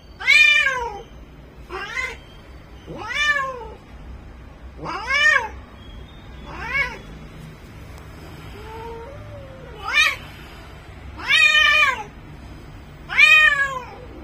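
A Bengal cat in heat gives loud, drawn-out yowling meows, each rising then falling, repeated every second or two.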